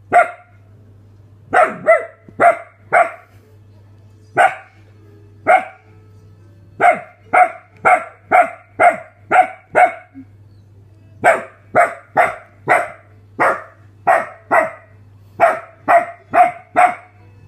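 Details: Samoyed indoors barking while watching the film "Eight Below": about 27 sharp, harmonic barks in loose bursts, often several in quick succession with short pauses between runs, over a steady low hum and faint film dialogue.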